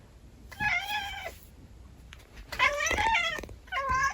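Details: Kotetsu, a pet house cat, meows three times: a drawn-out level meow, then a longer, strained one with a wavering pitch, then a short meow cut off at the end. The rooms are quiet between calls.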